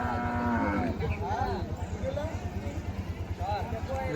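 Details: Cattle at a livestock market held on the Dhanpati Khola primary school ground: one moo, steady and then falling, opens the clip, followed by a man talking over the steady throb of an engine.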